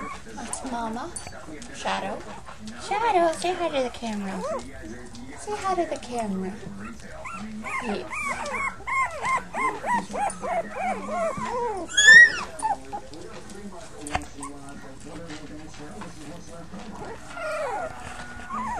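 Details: Young puppies from a litter of five whimpering in wavering, bending cries during the first half, one sharp high squeal near the middle, then quieter with a person's voice and handling sounds.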